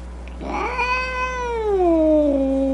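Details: Angry domestic cat giving a drawn-out moaning yowl that rises, holds steady, then slides down into a low sustained tone, over a faint steady low hum.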